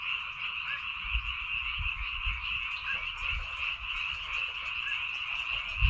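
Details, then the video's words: A frog chorus from rice fields on Baengnyeongdo Island: overlapping rapid croaks form a steady, shimmering buzz, with scattered low knocks and thuds in the background. "백령도 논에서 우는 개구리 울음소리"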